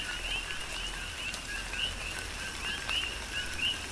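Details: Big Island, Hawaii, in a tropical rain shower: coqui frogs give clear rising two-part chirps, a few per second, spaced irregularly among a softer background chorus, with rain hissing steadily throughout.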